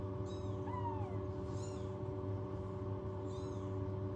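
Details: Newborn rescued kittens without a cat mother, kept in a warming box at home, give a few thin, faint meows that rise then fall, almost buried under a steady low mechanical hum.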